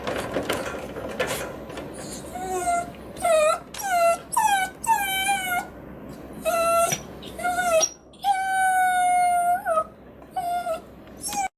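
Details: Caged Miniature Dachshund demanding to be let out with insistent high-pitched whining yelps, each bending upward then down, repeated roughly every half second. One longer, drawn-out howl comes near the end, with some clattering at the start.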